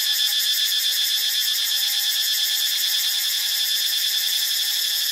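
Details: Cicada in Ubon Ratchathani, Thailand: a loud, continuous buzzing drone with a fast pulsing shimmer, about four pulses per second, holding steady throughout, with a faint thin tone lower down.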